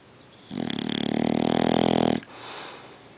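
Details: A single long, throaty snore of under two seconds from the sleeping dog Sergeant Carter, buzzing steadily before stopping abruptly and giving way to a soft exhale.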